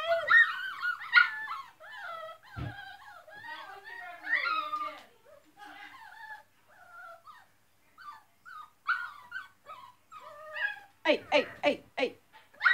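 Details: Loud dogs giving a long stream of high yelping barks and whiny yips, broken by a brief pause, then a burst of sharp clipped barks near the end; a low thump is heard early on.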